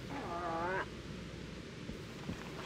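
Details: Moose (Alces alces) cow gives a brief, nasal, harmonic protest moan that rises slightly then breaks off, calling in thick vegetation during the fall rut to attract bulls.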